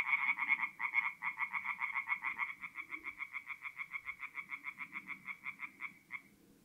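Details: Tree frog singing at a forest pond at night, North-East Italy, mid-April: a loud burst of rapid croaks that settles into a single frog's series of evenly spaced, quickening pulses, fading out after about six seconds.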